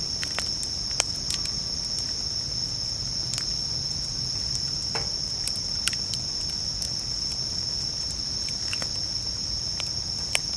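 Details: Bell crickets singing at a campsite at night beside a campfire: a steady, high, ringing trill runs throughout, broken by sharp crackles and pops from the burning wood.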